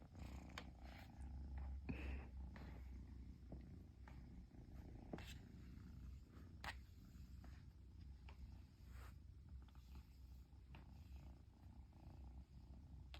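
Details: Purring Persian kitten in Japan that cannot stop after its owner finally returns home: a steady low rumbling purr pulsing in rhythmic cycles, with occasional sharp clicks and rustles of handling.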